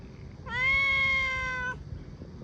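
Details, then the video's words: One drawn-out, even meow from a cat in a bamboo tree looking for food, lasting about a second and a quarter with a rich harmonic tone and slight fall at the end, over faint low background noise. "The sound of a cat meowing in a bamboo tree, calling"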